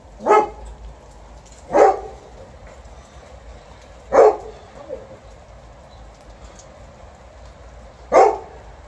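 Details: Liza, an Alaskan Malamute at home, waiting for family and TJ the Golden Retriever to return: four short, loud barking woofs spaced irregularly over about nine seconds, with a quiet room in between.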